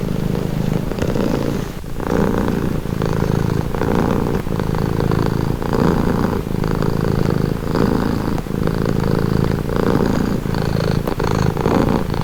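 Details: Domestic cat purring steadily, a low rumbling drone in pulsing cycles of roughly one to one and a half seconds, each breath in and out audible as a swell; faint background hum, nothing else clear.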